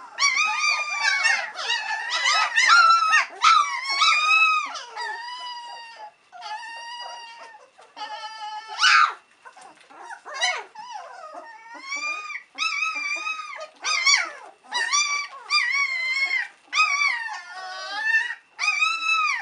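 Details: Several White Swiss Shepherd puppies, three weeks old, call impatiently for their mother Cova to come back for a feed: loud, high wavering whimpers and squeals in quick overlapping bursts, barely pausing, one brief sharp yelp midway.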